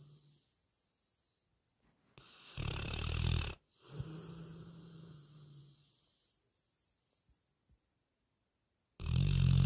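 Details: Lucy, a sleeping retriever, snoring: two deep rumbling snore breaths close together, one short and loud and one longer and fading, then a quiet gap before another loud snore starts at the end.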